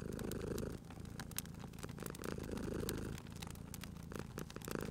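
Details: A sleeping cat purrs beside a crackling fireplace: a low, steady rumbling purr swelling and easing with each breath, with sharp snaps and pops of burning wood scattered throughout.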